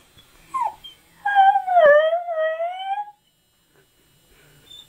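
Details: Pet husky 'talking' indoors, saying he wants his mammy: a brief whine, then a wavering, harmonic-rich howl-like yowl lasting about two seconds that dips and rises again, with a person speaking to him before and after.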